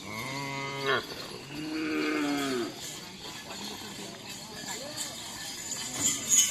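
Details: Cattle at a karapan sapi bull race training session at the Asemanis field in Pamekasan, Madura, Indonesia: a drawn-out, harmonic, nasal moo, then a second falling bellow, with crowd chatter and outdoor bustle behind.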